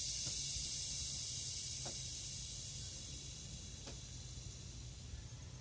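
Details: Kuliglig, a Philippine cicada, calling in forest: a continuous shrill buzz that slowly fades, broken by a few sharp clicks or taps and over a low background hum.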